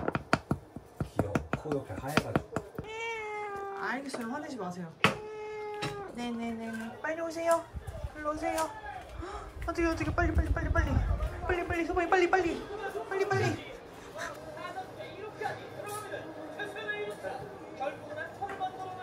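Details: Pet cat meowing repeatedly in drawn-out, wavering calls that rise and fall, several in quick succession, with sharp taps and clicks throughout and a human voice heard at times.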